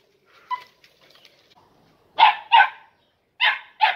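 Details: Young Andalusian Podenco at three and a half months, in a training ring for the first time. After faint voices, it gives four loud, sharp barks in two quick pairs, about a second between pairs.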